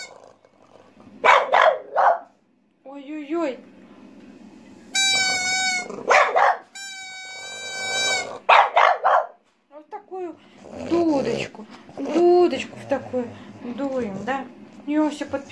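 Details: French Bulldog Asya 'sings' along to a pipe at home: wavering, howl-like yips and barks, rising and falling, mixed with a woman's affectionate talk and two long steady pipe notes.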